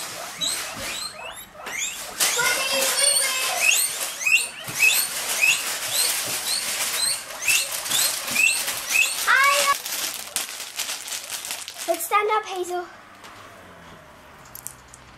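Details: Guinea pigs, including Hazel and Cookie, let out for free roam and fed a large pile of food; rapid bursts of shrill, rising squeaks repeat densely for about twelve seconds, then fade into a few lower squeals.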